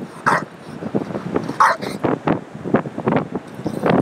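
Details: Frustrated bulldog attacking a tire on Ocean Beach, San Francisco, filmed by phone app: two gruff barks early on amid a rapid run of snorts, huffs and low grumbling.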